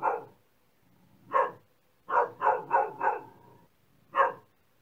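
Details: Dog barking in short, sharp bursts: a single bark, then a quick run of four barks, and one more bark near the end, with quiet gaps between them.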